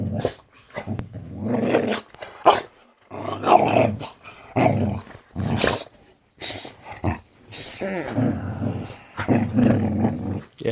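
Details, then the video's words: Indoor Boxer dog vocalizing to wake her owners in the morning: repeated low grumbling growls and moaning howl-like bursts, each lasting one to two seconds and separated by short pauses, with a person speaking briefly. "Boxer Dog OR Alarm Clock?"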